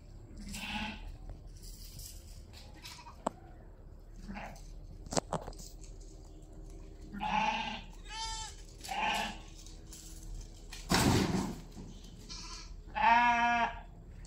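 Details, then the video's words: A sheep family bleating: several quavering, harmonic bleats in short bursts, some clustered and one long wavering bleat near the end, over a steady low hum with a few knocks and a brief loud rustle. "Sheep family having fun"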